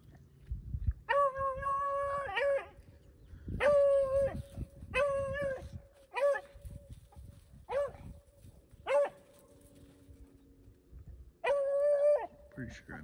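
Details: Beagles rabbit hunting in upstate New York in February 2023: loud, long, steady baying howls, each one to one and a half seconds, repeated roughly every one to two seconds with short yelps between, over quiet outdoor background.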